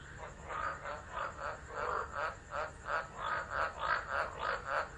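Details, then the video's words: Frogs calling during a tropical low at Driver, Northern Territory, Australia, in December 2013, phone recording; a quieter, faster run of pulsed croaks, about three per second, with a dense frog chorus behind. "Tropical Storm Frogs Singing"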